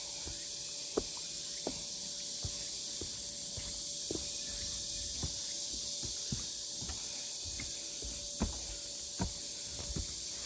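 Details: Cicadas on the Deogeumsan pine-breeze trail in Namwon, 16 August 2019, a steady high shrill drone filling the whole clip, with sharp clicks of footsteps on the path and faint bird notes behind.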